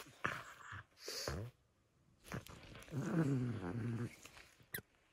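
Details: Nova, a female pug, playing with her crinkle toy indoors: short bursts of heavy snuffling breath, then a gravelly, snorting grunt that lasts about a second, with brief crinkly rustles between.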